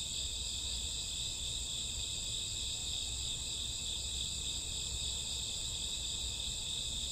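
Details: Night chorus of crickets and grassworms in summer or autumn: a continuous shrill, ringing trill layered in several high bands, never pausing, with a soft low hum underneath.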